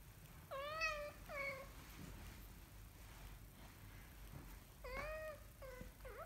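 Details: Kitten learning to walk mews repeatedly: two high, slightly wavering meows close together, a pause with soft bumps, then three more meows, the last one short and rising.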